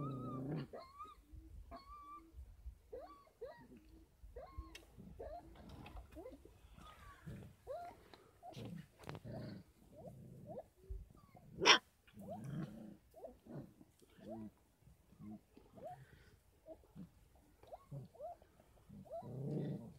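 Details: Litter of 33-day-old Kangal puppies at a farm, fed extra goat milk and formula; many short squeaky whines and yelps crowd together, with clicks and rustling throughout.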